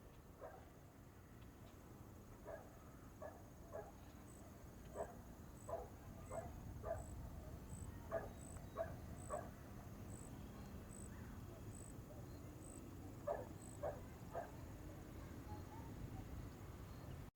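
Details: Outdoor scene with a dog giving distant barks in quick clusters of two or three, pauses between bursts, a faint steady run of high electronic-like beeps and a low rumbling background.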